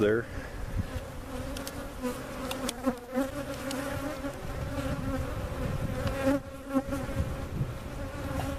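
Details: Honey bees from a giant cutout hive being placed with their comb in a permanent location at Jerome Bee Farm, Central Oklahoma, recorded on a Sony camcorder; a steady, droning hum from many bees with a low, even tone and brief passing wingbeat whines.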